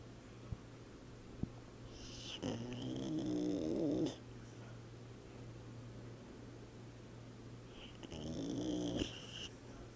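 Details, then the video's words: A dog snoring indoors: two long rasping, buzzy breaths a few seconds apart, each with a harsh nasal rattle and a whistly overtone, separated by quiet pauses over a steady low hum. "Heinz Snoring"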